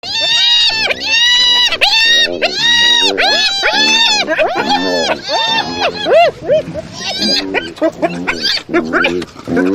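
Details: Hyena making odd vocalizations: a dense run of loud, harmonic, arched calls repeated more than once a second. The notes rise then fall and are bunched together, with several overlapping voices toward the end.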